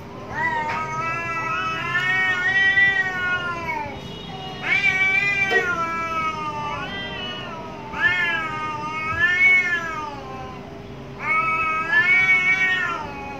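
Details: Two angry cats in a fight behind a home give long, arching caterwauls, each howl rising then sagging, four main outbursts separated by short pauses, faint background hum.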